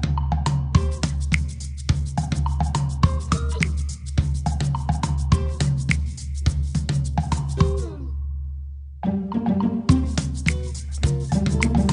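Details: Drum-driven music with a heavy bass beat and steady percussion throughout, briefly dropping out near the middle; no animal voices.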